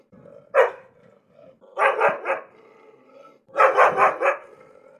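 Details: Angry dog: one sharp bark, then two bursts of three to four rough, rapid barks, with quiet whining in the gaps.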